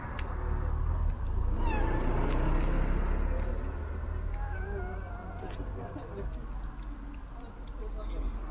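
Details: Domestic cat being fed from a remote-controlled car, giving one rising, harmonic meow near the start among other faint mewing, over steady low rumbling background noise.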